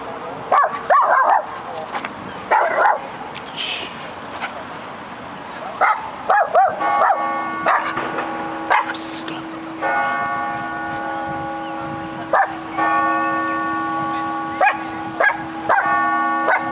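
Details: Dog in Cardiff pulling and barking at another dog that comes along: sharp barks in scattered bursts, some doubled, with long gaps, over a steady ringing of bells with sustained tones and street background.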